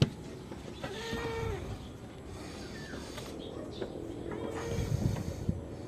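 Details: Goat kept on a backyard farm, bleating while being given iron injections; two wavering, harmonic bleats, one early and one near the end, over low rumble and handling noise.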